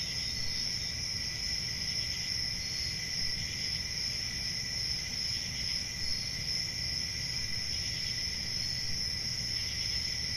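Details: Crickets chirr steadily through a summer night. High, ringing tones are laced with quick, faint pulsing that comes and goes, above a soft, low ambient rumble.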